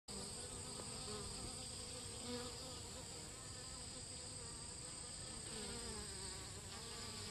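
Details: A Western honey bee (Apis mellifera) drinking water gives a steady, low wing buzz over a constant background hiss.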